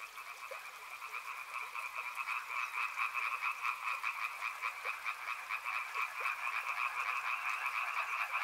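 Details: Numerous frogs croaking beside a river, a buzzing pulsed chorus of quick repeated notes in two pitch layers, growing louder in the first seconds then steady, with gentle flowing water behind.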